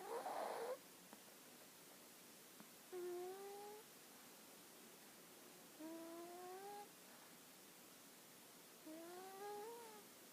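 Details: Hana, a dog, snoring while asleep indoors: three drawn-out whistled, harmonic snores, each rising slightly in pitch and lasting about a second, spaced roughly three seconds apart over a quiet room hiss.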